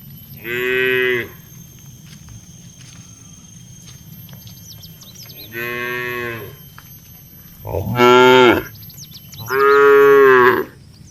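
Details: Tame cows among a herd of dozens heading to their shed, lowing four times in eleven seconds, each moo rich and harmonic, the third rising and breaking; faint bird chirps in the background.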